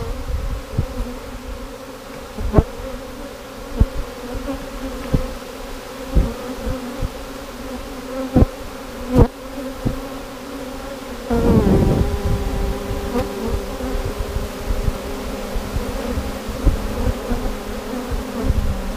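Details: A honey bee swarm, the third caught that day in 2017, is knocked from a limb into a box, humming with a steady, low, droning buzz broken by occasional sharp knocks.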